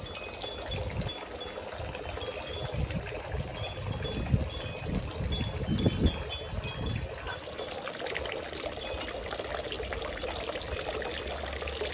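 Pouring, trickling water with faint chime tones and a thin high hiss; no animal voice stands out.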